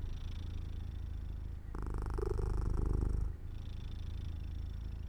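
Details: Cat purring as it falls asleep near an open window in the sun. Soft, deep rumble that swells into a fuller, breathier burst for about a second and a half, then settles back to a quieter steady purr.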